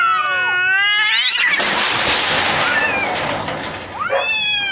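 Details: Two neighbour cats fighting: a wavering yowl breaks into a loud harsh hissing, spitting scuffle lasting over two seconds, then a rising howl resumes.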